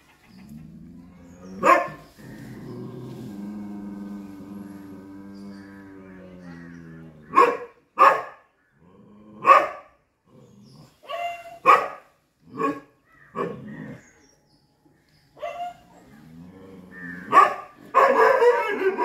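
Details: Chippiparai dog fighting monkeys, barking in a series of clipped, explosive barks spaced irregularly after a low steady hum, ending in a dense, noisy burst of sound.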